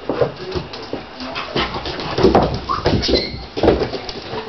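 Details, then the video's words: Siberian Husky puppies at play with a larger adult husky; soft whimpers and little whining squeaks come in scattered bursts over steady shuffling and panting-like rustle, with a brief tonal whine late on. "Siberian Husky Puppies Playing with Big Siberian Husky"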